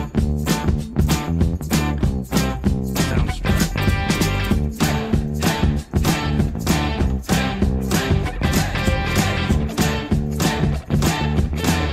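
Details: Steady funk-rock music with plucked guitar and a driving beat fills the whole stretch, and no animal sounds come through.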